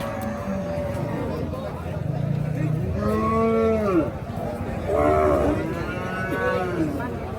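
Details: Water buffalo at Paragram market, producing a low grunt and then two bellowing moos that arch up and down, heard against the constant noise of a crowded livestock market.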